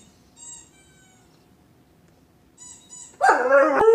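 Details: German Shepherd dog howling in response to a second ball being squeaked to stop him chewing his tennis ball; high squeaky-toy squeals at first, then a loud, wavering, descending howl bursts in for the final second.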